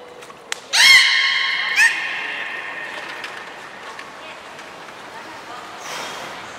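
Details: Captive belugas Hodoi, Gray and Mirai in training at Port of Nagoya Public Aquarium, 1 December 2019: one strong, bright harmonic call that rises quickly, then holds flat and fades, followed by quieter hall ambience.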